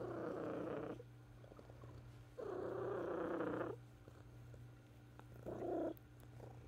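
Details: Purring of a female house cat recorded in 2018 during her final days of illness; two long, even purr bursts followed by a shorter one, separated by softer pauses, with a constant low electrical-sounding hum beneath.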